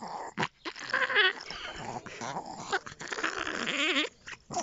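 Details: Chihuahua-Pomeranian puppy vocalizing: high whiny whimpers and yips with wavering pitch, broken by short pauses, while a person repeatedly calls it to come in.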